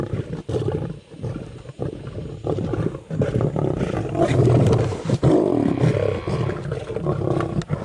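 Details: Group of seven male lions killing a buffalo calf at night on a safari in Greater Kruger Park, South Africa; deep, rough growling and snarling roars, continuous and overlapping, with scuffling noises.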